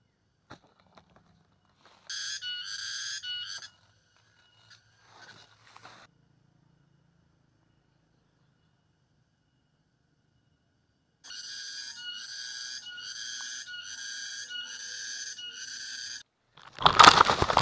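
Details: In the wild in a ravine, a cicada gives a loud, shrill buzzing song in two bursts, pulsing about four times a second.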